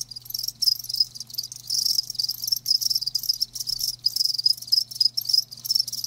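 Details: High, loud cricket chirps in quick bursts from several live crickets, separated by short silent breaks roughly every half second, above a faint low background hum.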